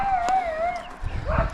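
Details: Dog somewhere below in the mountains near the abandoned earthquake-ruined village of Stara Brca in Spič, Montenegro, on a hot day, its wolf-like howl a wavering drawn-out tone, followed by a shorter rising note, with a man talking over it.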